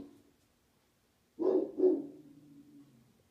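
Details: Rottweilers give two deep, gruff barks in quick succession, a defensive warning at a smiley-face balloon they find scary.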